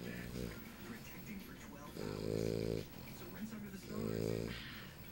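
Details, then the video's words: A female English Bulldog puppy named Lucy asleep beside her owner, snoring in two rough, buzzy breaths two seconds apart, with quieter wheezy breathing between them and soft talk in a small room. "English Bulldog puppy girl sleeping and snoring"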